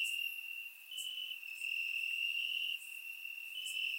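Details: Crickets in the grass after dark on a warm Bulgarian summer night, surround-microphone recording: an unbroken high-pitched trill with small pitch steps, brief dips in loudness, and occasional faint upper clicks.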